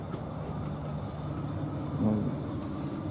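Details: Steady low rumble of vehicle noise with no animal calls.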